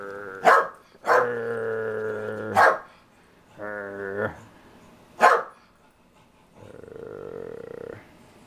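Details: A Jack Russell Terrier, one of three kept together, barking while looking for attention: several long, harmonic, whining barks of about a second each, separated by short sharp yaps, with a softer drawn-out whine at the end.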